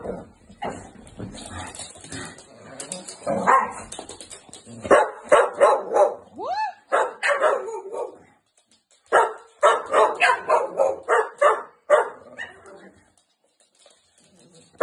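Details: Two Staffordshire Bull Terrier puppy sisters give sharp, high, yappy barks in quick irregular bursts while a person tells them to stop barking.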